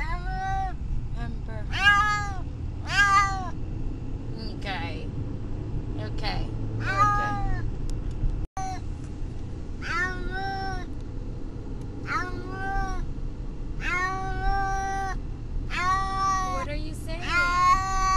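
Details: Riding to the vet, the distressed pet cat Brutus the Beefcake meows over and over, short rising-falling cries every second or two, some drawn out, with a woman talking softly and engine rumble.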